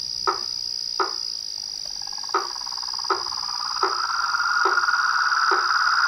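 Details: Frogs and toads calling together in a night chorus: short broadband croaks repeat about every second, then a steady pulsed trill swells and rises slightly, over a constant high insect whine.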